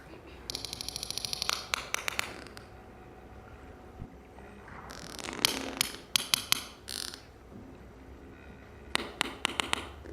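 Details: Sperm whales of one family group, the group that had just lifted a newborn calf minutes old to the surface to breathe, trade sharp, broadband clicks in quick rhythmic bursts, their conversations recorded by researchers studying them.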